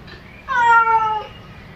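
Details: Domestic cat meowing to call its owner: a single clear, drawn-out meow lasting under a second, starting sharply, holding steady, then falling slightly at the end, over quiet room background.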